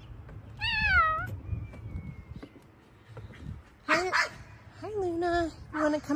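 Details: Female Bengal cat outdoors in a garden, being called to come inside, utters several short bent meows, one early and a cluster near the end, mixed with a woman's coaxing voice.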